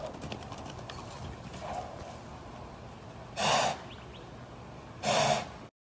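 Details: Arabian mare born in 2017, daughter of world champion Kaheel Al Shaqab, kept in America; two loud, breathy broadband snorts about one and a half seconds apart over faint background rustling.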